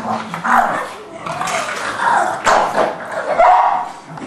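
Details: English Bulldog and Forest, a three-month-old English Mastiff pup, playing together; rough, noisy growl-like bursts come in bouts about every second, with a woman's voice talking in between.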